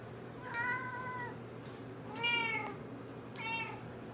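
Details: Nebelung cat indoors meowing to ask to be stroked: three drawn-out, clear harmonic meows, each under a second, spaced about 1.4 seconds apart, the middle one loudest, over a steady low hum.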